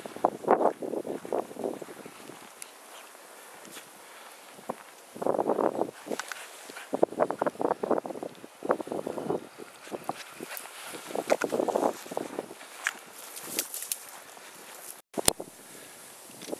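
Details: Mishka, a talking husky, outdoors during the polar vortex, letting out runs of choppy mid-pitched woo-woo yowls in bursts of a second or two, separated by pauses, with wind noise and faint rustling around her.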